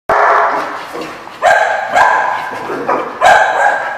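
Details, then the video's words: Dog barking, recorded 7/10/15: a sharp opening bark followed by loud, harsh, mid-pitched barks at irregular intervals, about five in four seconds. "The Barking Lot"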